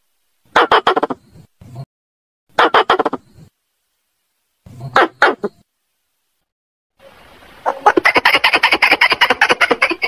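A squirrel gives harsh, clucking bursts, then breaks into a rapid, rattling chatter.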